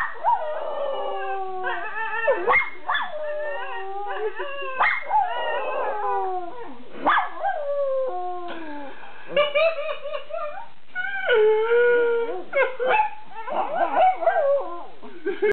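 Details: Miniature Schnauzer named Mimi, raised with a beagle, in a rare singing moment: continuous wavering howls sliding up and down, mixed with short yips and whimpering breaks, strongly harmonic and filling the whole stretch.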